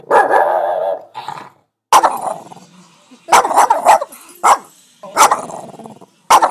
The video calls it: Dog Barking : Boston Terrier barking sounds